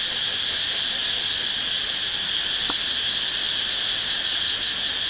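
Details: A cicada in front of a house in Pathum Thani, Thailand, gives a loud, steady, high-pitched buzz that drones on without a break.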